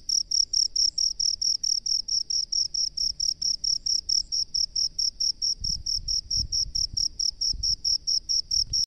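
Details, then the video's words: Cricket from rice fields giving regular, piercing high chirps at a little over two per second, unbroken, while low knocking and rustling noises sound faintly in the second half. "SUARA JANGKRIK PENGHUNI SAWAH"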